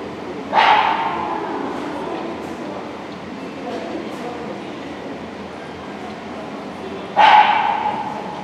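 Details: Two isolated barks about six and a half seconds apart from Labrador Retriever Yankee Goodwill Majoraska, competing in Obedience-1 at the St Petersburg Cup on 11 February 2018; each bark is short and resonant, with hall noise and faint talk between.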